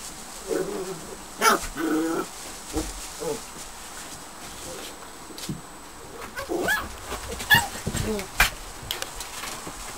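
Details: Border Collie pups nearly eight weeks old play in newly laid straw in a kennel whelping box on their final night together. Scattered short yelps and whimpers come in bursts, with rustling between them.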